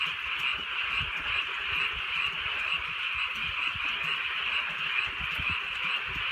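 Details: Frogs croaking on a countryside night in light drizzling rain: a dense, continuous chorus of high, rasping notes repeating about twice per second, with faint patter of raindrops underneath.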